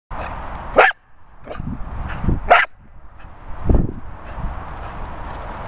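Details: Molly Mills, a Staffordshire Bull Terrier loving life, gives two sharp, loud barks about two seconds apart, with fainter short yips and gruff sounds between them over a steady low background rumble.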